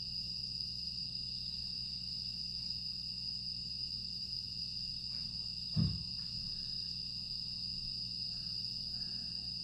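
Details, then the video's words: Grass insects singing through a calm night in Aewol, Jeju, on 25 August 2022, a constant high electric-sounding drone. A single dull thump breaks in near the six-second mark over the steady low hum. "조용한 풍경과 풀벌레 소리"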